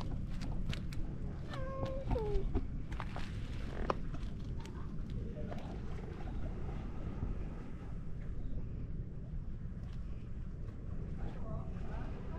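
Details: Cats lolling on a road beside the sea where boats come and go; one short descending meow around two seconds amid rumbling outdoor noise and clicks, followed by a person speaking.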